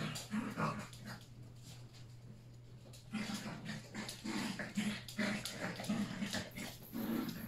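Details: Yorkshire Terrier puppies, three of them, playing together with adult dogs indoors; repeated short low growls and yips in quick bursts, especially in the second half, over a constant low hum.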